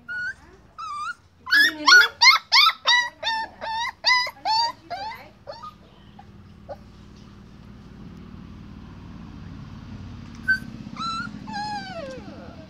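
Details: Puppy barking in a rapid run of about a dozen short, high, clipped yips, roughly three per second, then pausing amid a low background hum before a few more falling whining yelps near the end.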